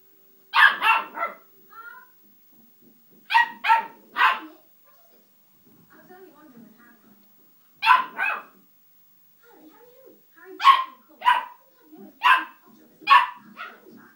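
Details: Ten-week-old puppy, mad after repeatedly burning his nose on a radiator, letting out sharp high barks in bursts of two and three, about a dozen in all, while a person quietly urges him on between bursts.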